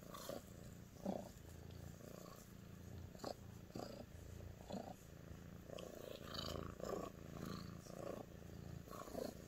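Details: A female Sphynx cat purrs steadily, a deep continuous rumble, showing affection toward her owner.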